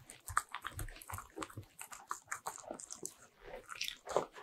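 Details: Pet Bichon Frise munching butter-ring cookies indoors, a steady stream of dry crunching and smacking bites, several per second, with short louder snaps scattered throughout.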